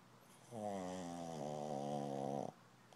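A Shih Tzu snores with one long, rattling, nasal breath that holds steady for about two seconds.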